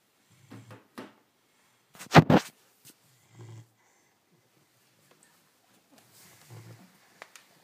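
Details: Cane Corso puppy snoring indoors: short, low rumbling snores roughly every three seconds, with one louder, sharp noisy burst in between and quiet gaps.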